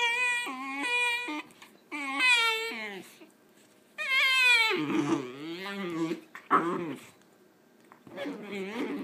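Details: Wheaten Terrier puppy upset about having a bath, making repeated high, tonal whines that waver and break, with lower moaning cries between them and human voices mixed in, indoors.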